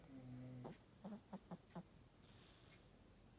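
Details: Elderly Chihuahua snoring with a slightly stuffy nose: a short nasal, tonal hum, then four quick snorting puffs about a quarter second apart, in a quiet room.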